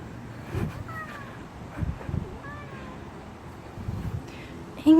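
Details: An angry domestic cat gives drawn-out, wavering meows with a complaining tone in a fenced-in area that is its favourite escape route.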